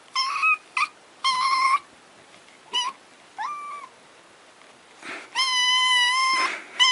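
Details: Kitten or cat crying for attention, a run of short high meows in uneven bursts with a few longer wails, building to a long loud cry at the end; faint low hum between calls.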